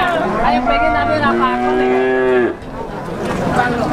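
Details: Pegon calves about six months old at the Plaosan cattle market, Magetan, Indonesia; a long, drawn-out moo of about two and a half seconds, wavering then holding steady, with a second calf and crowd noise behind.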